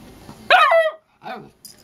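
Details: Charlie, a hyper puppy, lets out one loud, rich, ringing bark that falls slightly in pitch, then a shorter, softer second bark after a brief pause, with faint high noise at the end.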